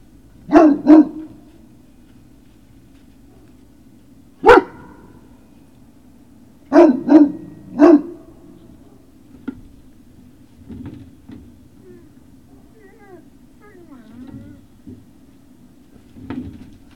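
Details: Great Dane puppies at Puppy Hill, recorded on the evening of 19 February 2019. Short sharp barks come in pairs and threes, with a single bark between them. Quieter yips and whines follow over a low steady hum.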